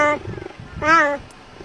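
A cheetah gives two soft, kitten-like meows, the second longer and gently arched in pitch.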